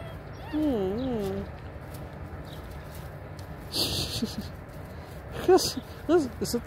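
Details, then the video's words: Kangal puppy recorded on 20 March 2024, giving a drawn-out wavering whine that rises and falls in pitch, then two short high yelps near the end, with a person talking nearby over a faint outdoor hiss. "yavru kangal"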